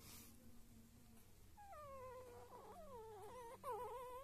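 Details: Five-day-old Lagotto Romagnolo puppies, with a thin wavering whine rising and falling several times in the second half, soft and close, over a low background hum.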